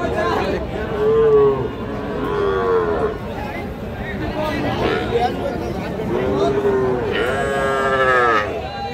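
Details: Young bull and heifer calves at the Raniganj cattle market on 17 November 2025, giving several long, low, drawn-out moos one after another, with steady crowd murmur and market bustle around them.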